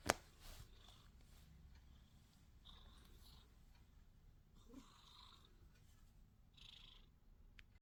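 A sphynx cat purrs with a low, steady rumble, broken by a few soft rustles.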